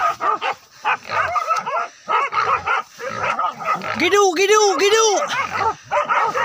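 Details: Village dogs hunting a wild boar, pursuit running from forest down to a river; bursts of excited barking and high yips in quick irregular succession, with a human voice in between.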